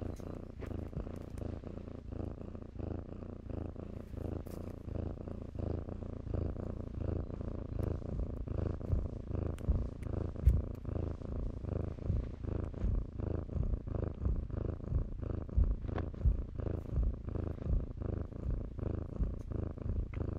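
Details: Kittens playing in blankets indoors, purring steadily: a low, rumbling continuous purr with rhythmic pulses, soft rustling of fabric and small clicks throughout.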